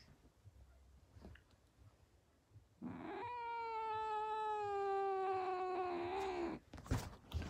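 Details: Female cat screaming: after a quiet start, a long, steady, loud wail of about three and a half seconds, holding its pitch then dipping slightly before it breaks off, followed by a few sharp knocks.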